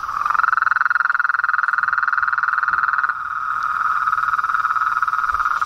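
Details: A frog chorus outdoors: a loud, rapidly pulsed trill on a steady mid pitch, softening briefly midway and then carrying on evenly.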